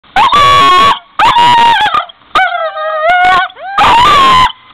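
A dog howls in wavering, drawn-out tones, a musical 'singing' broken into several short bouts.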